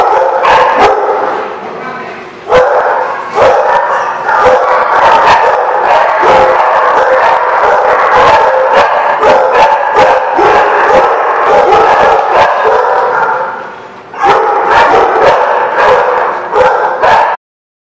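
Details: A packed chorus of dogs at The Barking Lot, 13 March 2017, barking continuously with overlapping yelps. The noise dips briefly around the second and fourteenth seconds, then cuts off abruptly at the end.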